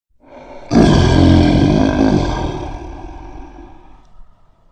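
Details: Lion (Panthera leo), roar.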